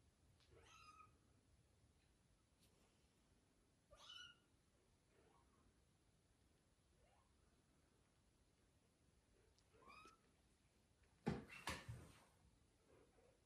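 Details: Newborn kitten after birth giving short, high, harmonic mews at about one, four and ten seconds, with fainter squeaks between; a loud broadband knock or handling noise near the end in a quiet room.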